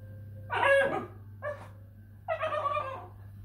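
A basenji gives three warbling, yodel-like vocal bursts, the last one longest, over a steady low hum.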